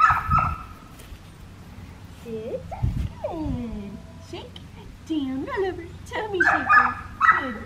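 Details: Young black tri female Australian Shepherd, practising heel on an Oklahoma farm, November 25, 2019. Drawn-out descending whimpers come first, followed by a burst of shrill yips near the end, while a person talks.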